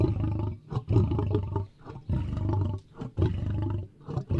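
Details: A lion roars in deep, rumbling bursts, each lasting over a second and separated by brief pauses.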